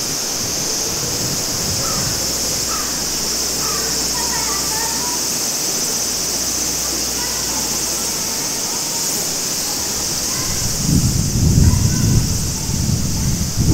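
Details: Cicadas in summer at Maruike spring-water pond at Mt. Kirishima, Japan, give a steady, high, hissing drone over a clear running stream, with a few bird calls.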